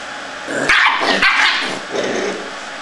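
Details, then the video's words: A Scottish terrier lets out a few short, rough barks in a tight burst, with quieter yapping noises trailing after, over a steady background hiss. "scott terrier"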